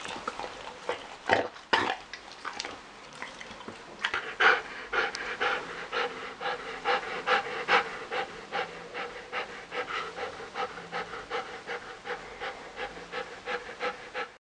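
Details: An 8½-year-old female Malinois pants rhythmically while playing with a toy pig indoors, quick breathy huffs at about two per second, with a few louder snorts and thumps near the start.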